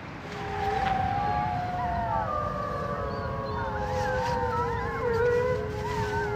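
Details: Wolves howling together in a zoo: several long, smooth, overlapping howls glide slowly up and down in a mid-pitched band, one voice rising and sinking beneath others that waver higher, with a steady low rumble underneath throughout.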